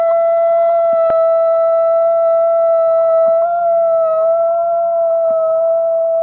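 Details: Gray wolf (Canis lupus), howl.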